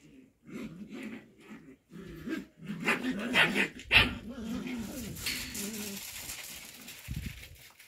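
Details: Show Cocker Spaniel puppies at play time give low, wavering growly whines and short yips in uneven bursts, with a sharp bark-like yelp near the middle, brief quiet gaps, and a faint hiss of background noise toward the end.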